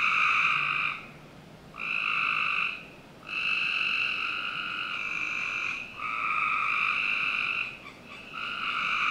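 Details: Frogs give long, steady, buzzy trills, each held a second or two before a brief pause, on a summer night in a backyard in Northern Virginia.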